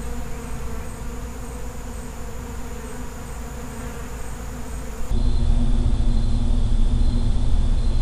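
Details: Low buzzing of a feral honey bee colony, steady at first, then an abrupt jump to a louder, deeper drone after a cut.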